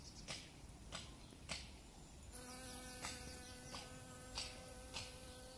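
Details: Honeybee visiting dandelion flowers in April 2017; after a few sharp ticks in the first two seconds, a steady, low humming buzz sets in and continues to the end, with faint clicks still heard.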